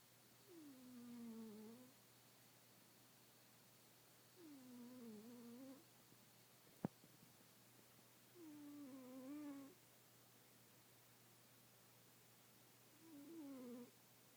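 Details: Sleeping kitten snoring in a quiet room, each breath a soft, squeaky, whistling tone that dips and wavers, repeating roughly every four seconds in four clear bursts, with one brief click midway.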